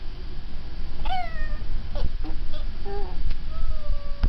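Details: Pet cat vocalizing at the household dog, which the owner calls barking; a rising-falling meow near one second, then short chirps and a long, slowly falling drawn-out call, indoors with a low background hum.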